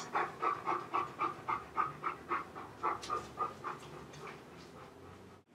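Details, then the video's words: A chocolate Labrador Retriever left home alone, panting in quick regular breaths, about four per second, for roughly four seconds before the sound fades out. "LABRADOR HOME ALONE"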